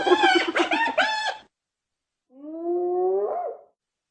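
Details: Hyena. Hyena laughter: a quick run of chopped, bright notes that rise and fall like a giggle, lasting over a second. After a pause comes a longer, steadier, nasal cry that climbs a little at the end.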